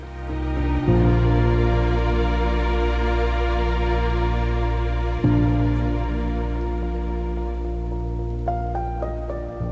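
Soft ambient music with sustained tones plays over a faint patter like rain, with no animal voices.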